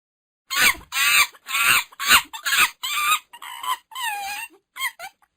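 A monkey gives a quick series of shrill, squealing chatter calls, about two each second.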